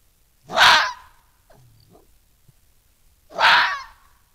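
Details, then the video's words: Wild red fox vixen defending her underground den, beside a badger sett, against a larger male intruder: two harsh, raspy broadband screams about three seconds apart, with faint rustling between them. "Smiley Vixen Defends Her Den from Intruding Fox"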